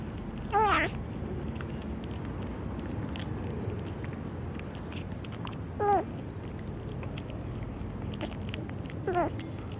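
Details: Three short kitten meows spread across ten seconds, set against steady rumbling background noise with scattered clicks.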